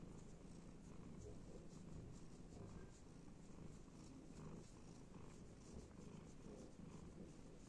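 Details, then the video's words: Purring domestic cat being scratched and stroked; a deep, even, vibrating rumble that holds steady the whole time, swelling slightly in places. "cat purring"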